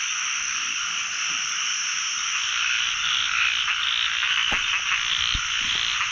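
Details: Narrow-mouthed frogs calling all over a pond on the first frog-catching outing of the year: a dense, continuous high trilling chorus with many overlapping callers and faint scattered clicks.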